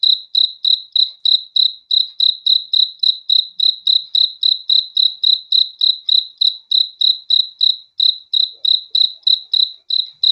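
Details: Night-time cricket chorus for relaxing to sleep: a bright, even train of short high chirps, roughly three per second, continuing unbroken throughout with a quiet background.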